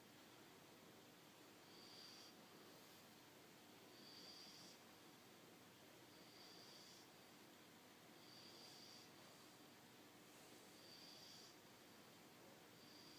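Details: French Bulldog puppy Poppy-Pop napping indoors, snoring softly: hissy, snorting breaths that swell and fade roughly every two seconds over a steady low background hiss in a small room.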